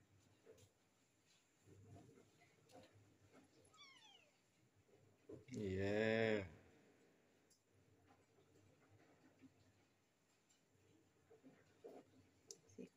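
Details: Three stray kittens come across outdoors; one loud, wavering, harmonic-rich meow lasting under a second near the middle, with a brief faint chirp just before it and quiet Malay conversation and small knocks around it.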